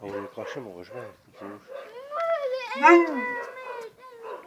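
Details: Molly, a husky dog, gives drawn-out, wavering harmonic woos that rise and fall in pitch, climbing to a louder peak near the third second, following a few shorter choppy voiced sounds at the start.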